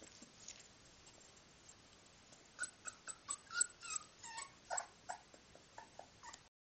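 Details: Three 24-day-old Miniature Bull Terrier puppies give short, high squeaky whimpers and yips in quick irregular bursts.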